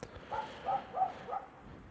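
A Kangal shepherd dog gives a quick run of four hoarse barks, about a third of a second apart.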